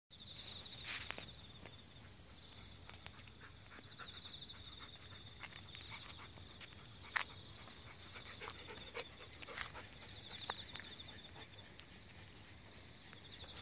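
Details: Crickets in full autumn song on 8 October 2016, heard on a rural walk with golden retrievers Kohaku and Ibuki hunting fallen persimmons; a steady high continuous trill runs throughout, over footsteps, rustling and dog panting.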